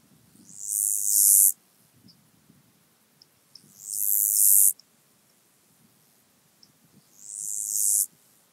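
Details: Stenobothrus nigromaculatus singing at Kyffhäuser, Germany, 19 July 2018: high-pitched rasping bursts that build gradually and cut off sharply, three phrases spaced about three seconds apart, with faint low background rustle.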